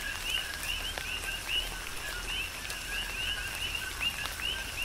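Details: Coqui frogs in a tropical rain shower, Big Island, Hawaii, calling in an uneven run of quick chirping whistles that sweep upward, roughly one or two per second from the nearest frogs, set against a soft rain hiss and drips.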